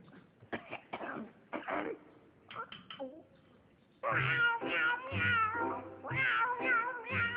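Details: Domestic cat meowing: a few short scattered calls early, then from the fourth second a run of louder, rising-and-falling harmonic meows in quick succession, with some low background sound.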